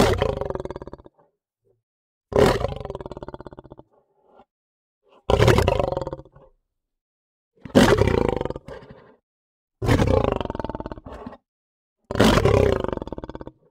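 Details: Lion giving a series of six harsh, deep roars, each lasting about one to one and a half seconds and repeated roughly every two and a half seconds, with a rapid pulsing, growling texture and short silent gaps.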